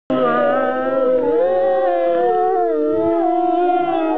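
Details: Several wolves at Wolf Mountain on 14 February 2009 howl together in long, wavering tones that slide up and down and overlap.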